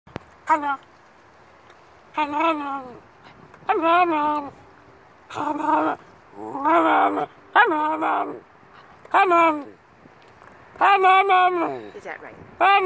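A Cairn Terrier 'talks' in short, whiny, rising-and-falling yowls, repeated every second or two.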